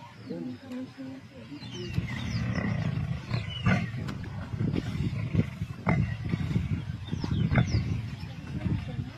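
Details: Lions of the Kambula Pride in a feeding frenzy on 16 February 2024, heard as deep, rumbling growls and snarls that swell and fade over several seconds, with brief sharp snaps and a faint voice in the background.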